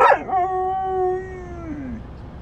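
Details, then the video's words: Husky travelling in a truck lets out a brief yip, then a sustained mournful howl that holds level before sagging lower and fading, set against steady low road and engine hum. "TRUCKING WITH AUSTIN THE HUSKY!"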